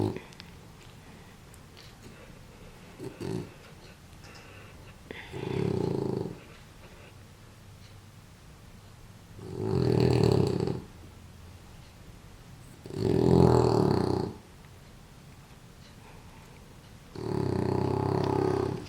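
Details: A female French Bulldog, asleep after a bath and wrapped in a warm blanket, snores loudly with deep rasping breaths roughly every four seconds; French Bulldog.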